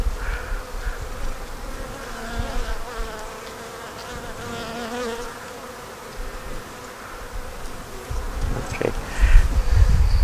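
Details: Honey bees humming inside an opened hive while a beekeeper inspects frames for pollen and checks for a queen; a continuous droning buzz with steady layered overtones, quieter handling knocks, and a louder rumble near the end.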